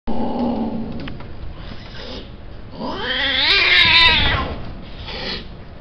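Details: A cat offered for sale gives a single drawn-out, wavering meow that rises and then falls midway through. Steady broadband background noise runs throughout.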